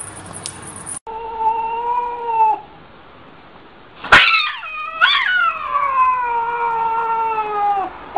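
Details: Domestic cat in a 2014 funny cats compilation: a steady, drawn-out tonal note, a pause, then a louder wavering yowl that slides downward and stretches over several seconds, with faint room noise.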